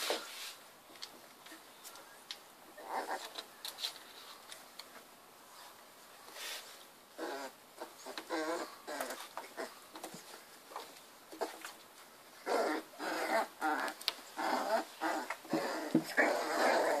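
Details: Three-week-old Miniature Bull Terrier puppies at a kennel, play-fighting in their first fights; short high squeaks and whimpers come in scattered bursts, busier near the end, with shuffling and scratching noises throughout.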